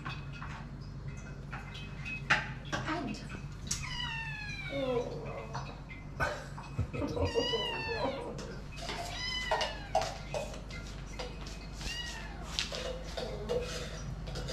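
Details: Hungry kittens eight weeks old crying out for food indoors; clusters of shrill, wavering meows overlapping one another, some harsh and caterwaul-like, with sharp clicks and a background hum.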